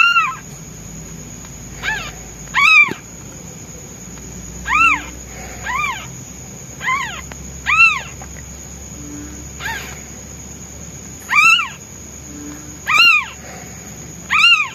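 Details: Hungry newborn white male kitten crying for his mother, who is away hunting: about ten short arched meows, some loud and some softer, spaced one to two seconds apart, with a steady high electronic-like whine behind.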